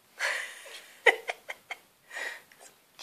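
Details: Shetland Sheepdog puppy facing a cat indoors: a quick run of four short, sharp yips inside a second, framed by breathy, hiss-like bursts before and after.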